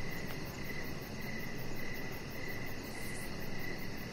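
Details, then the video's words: Crickets chirping in the evening beside a deck lit with decoration lights, a thin high pulsing trill repeating steadily over a constant low rumbling background hiss. "Chihuahua Puppy Laying On Deck with Cricket Sounds"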